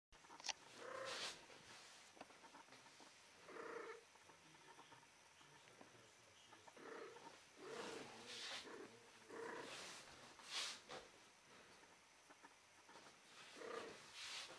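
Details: Female cat in heat striking a come-hither pose; about a dozen short, harmonic meowing calls are spread through the recording, each under a second long and some in close pairs, over soft background hiss.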